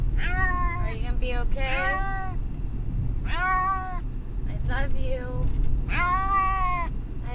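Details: Distressed on a car ride to the vet, the cat Brutus the Beefcake lets out repeated loud, arching meows, several longer and strained, against heavy low engine and road noise.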